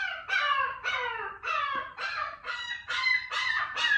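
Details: Young female Shiba Inu crying in her cage on her second day at home when left by her owner. Nasal, falling whimpers come in a tight run of about eight cries, each bending downward, with short gaps.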